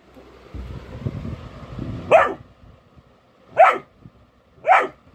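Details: Golden Retriever puppy barking on alert during a prank at home: rustling and handling noise, then three sharp, mid-pitched barks spaced about a second apart.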